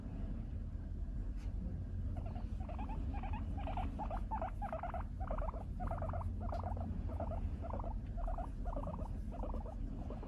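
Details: Four-year-old female Abyssinian guinea pig Moru-chan, resting against her owner's favourite brown skirt, utters a run of about seventeen short squeaky notes, several per second, over eight seconds, above a low background drone of dishwasher and outdoor truck noise.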